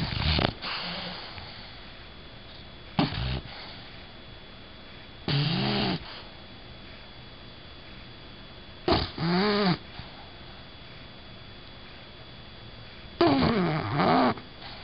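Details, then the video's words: Female bulldog asleep indoors, snoring; harsh, rasping breaths with a wavering nasal tone come roughly every four seconds, separated by quiet stretches with a faint steady hum. "Do Bulldogs Really Snore?"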